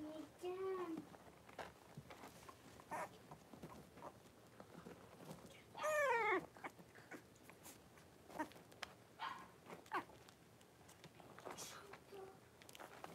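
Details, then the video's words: In a home puppy pen on 26 January 2023, five Blenheim Cavalier King Charles Spaniel pups born around New Year's stay with their mother Paris; a short whine early on, then a louder wavering, descending whimper midway, among soft rustles and faint murmurs. "Cavalier Puppies Live: Paris and her Puppies"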